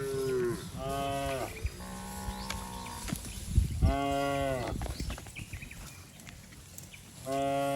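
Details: Rural herd of cattle and oxen bounding down a green hill, several animals lowing in turn: long, full moos with bending pitch, four main calls with short gaps, plus scattered knocks and rustling.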